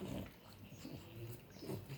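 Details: A four-month-old Boxer puppy makes low, pig-like snorting grunts in short bursts.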